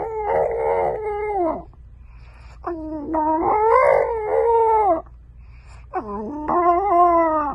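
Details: Three extended howls from French bulldog puppies, each sliding up and then holding a mournful, slightly wobbling tone before dropping away, with short gaps and a low hum beneath.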